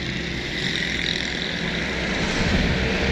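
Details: Loud, continuous engine and vehicle roar that grows slightly louder toward the end, with no animal sounds.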